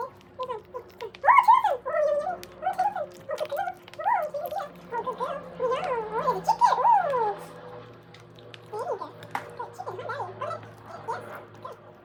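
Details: A pregnant poodle whimpers while being fed, giving a run of high, wavering whines that rise and fall in quick clusters over the first seven seconds, then softer, sparser whines later, with faint talking in the room.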